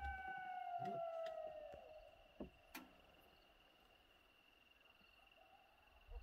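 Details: Coyote, one of two calling to each other in Hiawatha National Forest, heard while out listening for wolves, the nearer animal not far off. A single drawn-out howl slides downward for about two seconds, with a few faint knocks afterward in a quiet background.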